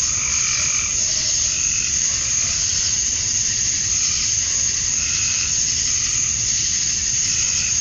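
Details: Dusk cicada chorus from a summer night in Georgia, USA, males singing to lure females: steady high hissing buzz, joined by a few brief lower croak-like pulses from other callers.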